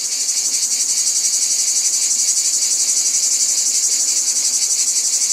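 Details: Many cicadas buzz together in an unbroken, high, rasping wall of sound. A regular rapid beat throbs through it several times a second, with nothing else audible.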